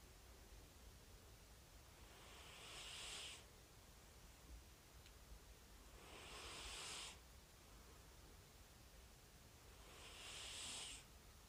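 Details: Snoring of a rescued calico cat: soft, hissing breaths, each lasting about a second and recurring roughly every three and a half to four seconds, three in all, over a quiet, low background hush.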